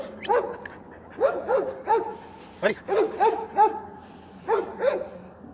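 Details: A Kerry Blue Terrier barking: about ten sharp, slightly whiny barks in irregular bursts, some in quick pairs, each with a rising-then-falling tone, over a faint low hum.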